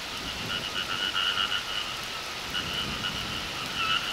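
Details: Frogs croaking in the countryside in summer, a dense chorus of rapid pulsed croaks in two steady bands, swelling and easing in waves, with light rain-like patter underneath.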